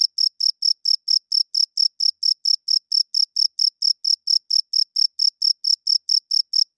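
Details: At night a cricket chirps loudly and steadily, each short, shrill pulse following the last at about four per second without a break; a clean recording free of other noise.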